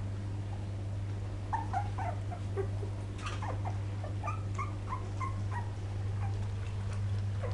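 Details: Poodle puppies from 2012 uttering short piping squeaks and brief whines, roughly one per second in an uneven run, set against a persistent droning hum.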